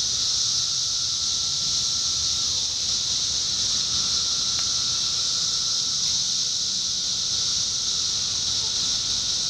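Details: 17-year cicadas calling in summer 2021 in Indiana: a dense, unbroken, high droning chorus that holds at a steady level throughout, with a faint thin tone and low background rumble underneath.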